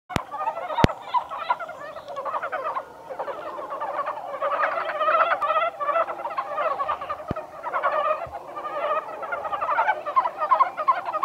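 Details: Montane brown frogs at Kawaguchiko Field Center, Japan, on 1 March 2020: a dense chorus of many overlapping short, rapid, chuckling pulsed croaks that rise and fall without pause, with a few sharp clicks near the start and end.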